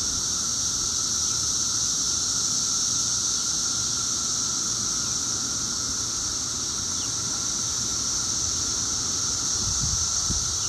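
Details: Steady roar of 17-year cicadas at their loudest, two weeks after they emerged, holding an even shrill drone and a fainter mid-pitched tone throughout, with a few faint low knocks near the end.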